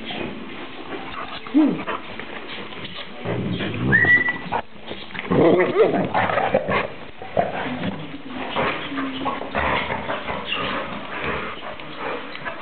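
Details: Bull Terrier Morgan at play with Airedale Terrier Nini: scuffling play with low growly grumbles, a short high rising whine near the middle, then more rough-and-tumble noise, with background music and occasional voices.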